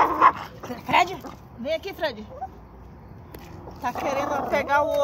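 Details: A fierce Miniature Pinscher gives sharp, high yapping barks and whiny yelps, with human speech mixed in.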